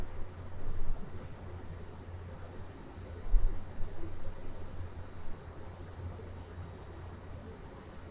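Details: Summer cicadas at night, recorded in stereo: a dense, steady, high-pitched hissing drone that never pauses, over a faint low hum.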